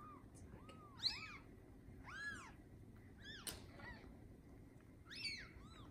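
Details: Newborn Bengal kittens from a litter of seven born on the morning of 7/15/19 to Lisa, a TICA-registered Bengal queen, in a cattery: several arched, high mewing cries in quick succession, one rising sharply, with soft human voices nearby.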